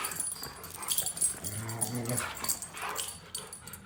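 A Siberian husky gives a short, low, rumbling growl during rough play.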